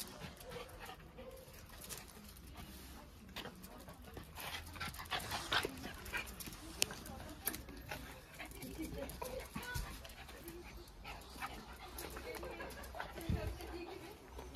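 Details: Two friendly Jack Russell Terriers play-wrestling indoors in a mock fight. Short, sharp yaps and scuffling bursts come irregularly over about fifteen seconds, with people talking in the background.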